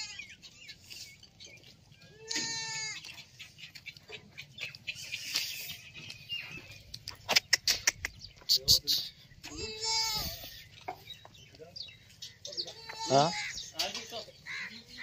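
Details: Sirohi goats on a goat farm, a pregnant goat and a goat with two kids; several loud wavering bleats near 2, 10 and 13 seconds, with clicking sounds and low background hum between them.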